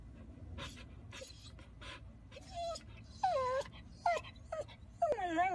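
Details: Golden Retriever at home beside its owner: three short, high, falling whines with a slight howling quaver come in the second half, about one per second, after quiet rustling and faint background voices.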